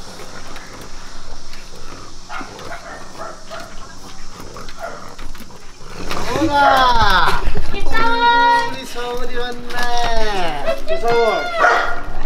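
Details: Two female French Bulldogs, Sawol and her younger sister Kkeutsun, excited on a day out at dog kindergarten; low background murmur gives way to quick bursts of high, arching whines and yelps, each rising then falling, repeated several times.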